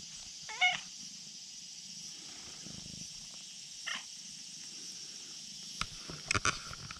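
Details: Brown-tabby-and-white stray cat calling from a risky spot on a slope, asking to be petted: a rising meow near the start and a shorter one near four seconds, over a steady high insect drone, with a few clicks and rustles toward the end.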